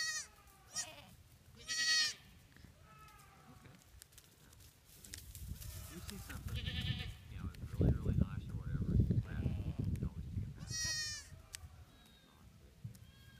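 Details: Spanish and Spanish/Kiko cross goat kids playing on rocks at Post Oak Ranch in 2014 during tagging; several short, high wavering bleats early and again near eleven seconds, with low rumbling handling noise and voices through the middle.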